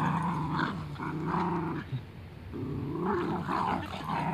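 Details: Husky Corgi puppies playing, giving loud, continuous throaty growls that rise and fall in several bursts, with a brief lull near the middle.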